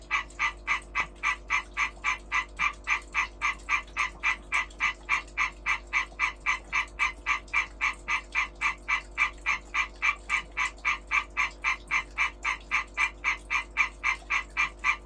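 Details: A male European tree frog (Hyla arborea) gives a breeding call, a loud, rapid series of harsh, clacking notes during the breeding season.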